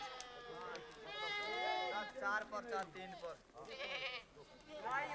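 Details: Pashmina goats with sheep in a Himalayan herd: a run of overlapping, vibrato-laden bleats from several animals, rising and falling in pitch, with a brief dip near the middle.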